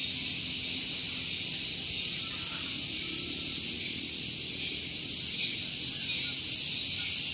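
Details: Cicadas near a parking area on Gunung Geulis, Bogor, West Java, in the morning. Their very loud, high, hissing drone pulses evenly several times a second and swells slightly toward the end over a low background hum.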